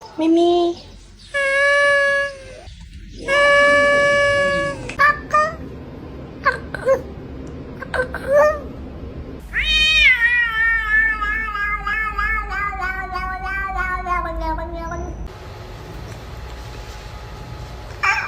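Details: Domestic cats making strange, weird sounds: short harmonic meows, then a long warbling, wavering yowl of several seconds, with a person talking and laughing between calls.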